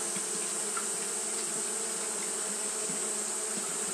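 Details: Japanese honey bees fanning continuously on a hot day: a dense, steady hum with bands in the low-mid range and a bright hiss on top, unbroken and even in loudness throughout.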